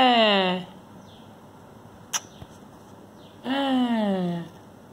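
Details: Drowsy kitten Timmy complains at being woken: two drawn-out meows falling in pitch, one at the start and one about three and a half seconds later, separated by quiet and a single sharp click.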